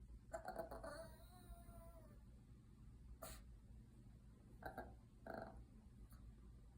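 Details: Yorkshire Terrier puppy making funny noises: a thin, high whine sliding slowly downward for about two seconds, then scattered soft snuffles and clicks over a steady low hum, followed by a person speaking to him.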